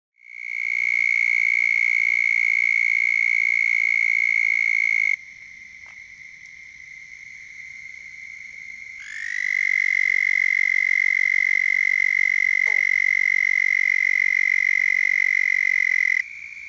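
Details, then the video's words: Toads of the genus Bufo calling from the banks of a pond on a warm spring night, 29 April 2021, Richland County, South Carolina: a loud, steady, high trill held about five seconds, a pause with fainter trilling, then a second trill lasting about seven seconds. "Toads Calling on a Spring Night"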